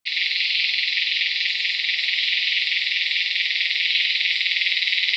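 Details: Tacua speciosa cicada calling in Peninsular Malaysia on 11 May 2014: a loud, continuous, high-pitched buzzing drone, steady throughout with a fine rapid pulsing texture and no pauses.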